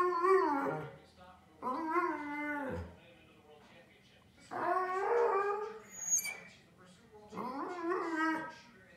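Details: Nico, an aging Pudelpointer dog frustrated that his wish to go outside is ignored, makes four drawn-out, moaning Wookiee-like yowls, each bending up then down in pitch, separated by quiet gaps of about a second.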